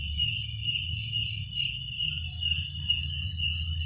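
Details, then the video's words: Crickets at night: a steady, shrill, high-pitched trill running without pause, with a fainter pulsing upper band, over a low rumbling background. "Suara jangkrik pada malam hari"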